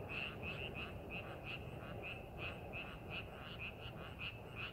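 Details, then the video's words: In a rice paddy made ready for farming, frogs give brief pulsed croaks at an uneven quick pace, several overlapping callers over a low continuous rumble. "농사준비하는 논에서 개구리 울음소리"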